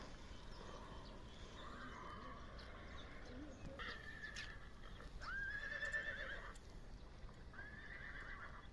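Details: A 1.5-year-old Budyonny-breed young stallion offered for sale whinnies: a quiet tonal call holding level then sliding, around five to six seconds in, against a low steady background hum, with a fainter similar call just after.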